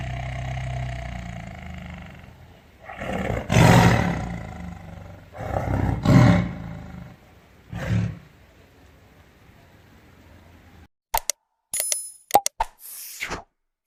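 A tiger gives deep, rumbling roars in several powerful bursts a couple of seconds apart.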